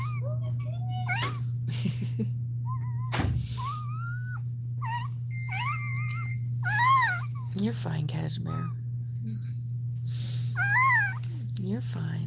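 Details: Cane Corso whimpering during Cashmere's labour in a small room: repeated wavering, nasal cries that rise and fall, several in a row with brief pauses, set against a constant low hum and occasional human voices.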